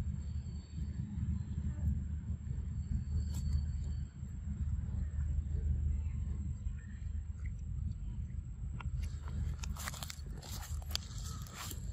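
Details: Steady low rumble like a passing vehicle outdoors, with faint speech and scattered clicking, no animal voice.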